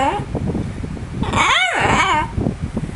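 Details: Domestic dog practising a talking hello indoors: one arched, moaning yowl that climbs and then drops, mixed with the owner's praising voice and steady fan hum.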